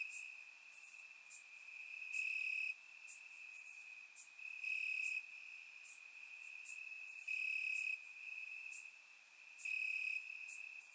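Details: Night chorus of crickets in Bulgarian grass during warm summer, surround-microphone recording; continuous shrill tone overlaid by louder half-second chirp bursts repeating irregularly, with brief sharp high clicks between.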